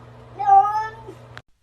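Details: Domestic cat indoors with one short, clear meow that rises and then slides down, followed by a brief click and near silence.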